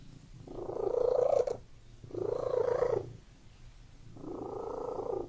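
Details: Domestic cat purring indoors in a room: three rumbling bursts about a second long, each followed by a quieter pause, like steady breathing in and out.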